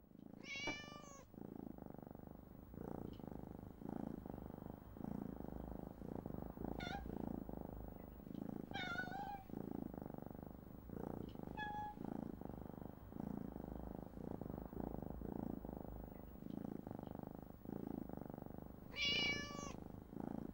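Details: Playful kittens in the maternity wing of the National Cat Adoption Centre, East Sussex, squeezing into surgical glove boxes, filmed on an old compact camera; a steady low rumbling purr runs throughout, broken by thin high meows near the start, middle and end.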